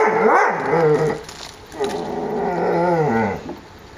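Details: Puppies from a kennel playing in the yard on a mild winter day, 30 January 2013 at 14 °C; drawn-out harmonic growls and whiny vocal sounds rise and fall in two long bursts, with faint clatter between.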